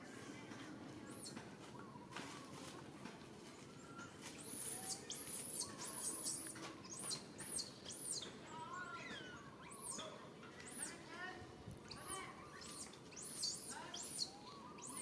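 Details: Baby monkey crying for its mother's help: a quiet start, then long runs of shrill, arched screams repeated rapidly, mixed with lower warbling whines.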